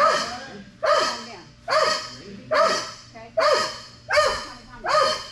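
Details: Belgian Malinois named Strider at dock diving practice for Fetch-It air retrieve, barking eagerly: six loud, evenly spaced barks roughly every 0.8 seconds, each a harsh burst with a falling tail.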